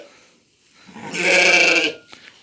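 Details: A lamb on a farm in the evening, around feeding time as the lambs finish nursing from their mothers: a single loud, bright, harmonic bleat of just under a second after a quiet start.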